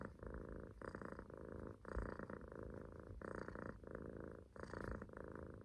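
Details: Relaxed Munchkin kitten asleep on its owner's stomach, sitting in a loaf, giving steady rasping snores; each rumbling breath runs about half a second to a second, in regular cycles, with a faint hiss on some inhalations.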